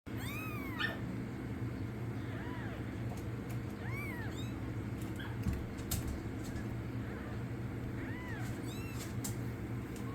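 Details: Kittens about a week old, rescued from outside in the cold and brought indoors, give thin high arching meows, rising then falling, about six cries spread across the recording over a steady low hum.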